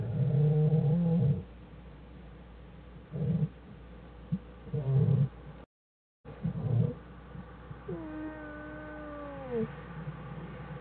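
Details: Jewel, an American black bear, denning with cubs Fern and Herbie on January 1, 2013: repeated low throaty buzzing bursts, a short silence, then a long drawn-out falling whine with strong overtones.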